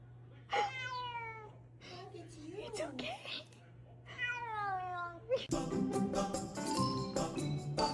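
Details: House cat giving two drawn-out, slightly falling meows separated by a short sliding whine, with a low hum in the background; upbeat music with percussion takes over for the final seconds.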